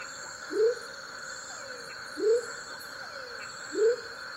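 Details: Three low, rising, hooting notes from a male Leptodactylus savagei, the smoky jungle frog, in Tayrona National Natural Park, evenly spaced about 1.6 seconds apart, with soft descending slurs and continuous high insect hum.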